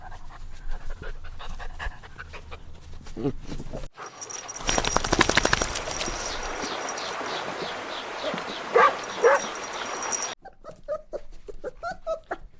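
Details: Little puppies having fun outdoors in nature: a burst of quick, rhythmic panting breaths in the middle, framed by scattered soft yips and squeaks, over a steady background hiss.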